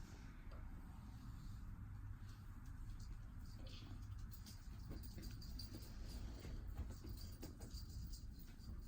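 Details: Silver natural mink and white RagaMuffin kitten, male, purring indoors after play with laser lights; a steady low continuous rumble runs throughout, with scattered soft clicks and rustling on top.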